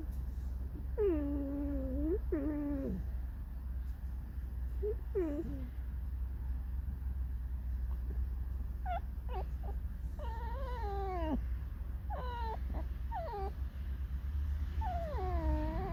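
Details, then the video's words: A captive fox, annoyed at everything including dogs, keeps up its plaintive squeaky 'song': many bent, harmonic whines, some rising then dropping, some quivering, in uneven bursts over a low indoor hum. "Lisa Alicja piszczy, śpiewa smutną piosenkę / Алиса лиса Скрипит, поет заунывную песню"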